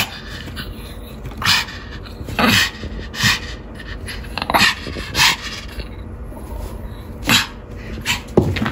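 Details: Pomeranian at play with a ball after a home trim, giving short, sharp yips or whimpers in about six separate bursts over several seconds, each brief and bright, with quiet gaps and faint background hum between them.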